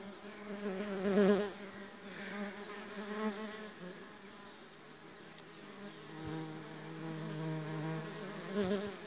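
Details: Mandaçaia stingless bee foragers arrive for the first time at a new hive box holding two brood discs from another colony. Their steady, low, rich droning wing buzz swells as they fly close and fades as they move off.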